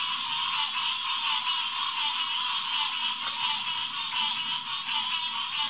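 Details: Hyla cinerea chorusing at Headquarters Pond after dark on June 2, 2021; a dense, unbroken mass of nasal calls holds steady, with sharper clicks standing out roughly once a second.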